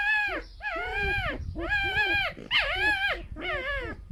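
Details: Two rescued ex-fur-farm pet foxes sharing a den, female and male, give harmless squeaking song: strong harmonic whines arching up then down, five main squeals in four seconds with brief pauses.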